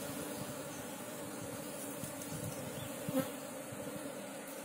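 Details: Honey hunters beside a wild colony of Asian honey bees (Apis cerana): an even buzzing drone holds steady, with a short clatter and a brief squeak just past the three-second mark.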